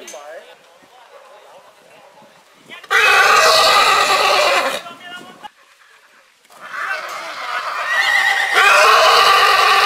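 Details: A purebred horse whinnies repeatedly in spring: a long, loud, harsh neigh of about two seconds, a short pause, then a second extended neigh rising and continuing for over three seconds.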